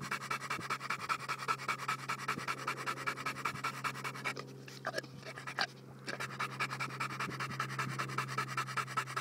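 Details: Fast, even panting by Bowzer, a Johnson American Bulldog, breathy puffs about every 0.4 seconds with a short quieter stretch midway, backed by a steady low hum.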